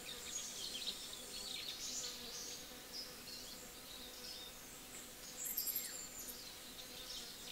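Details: Little honey bees enjoying their breakfast, feeding together. A faint, continuous low drone hums beneath lively high bird chirping and twittering that runs throughout, with a brighter burst of birdsong near the end.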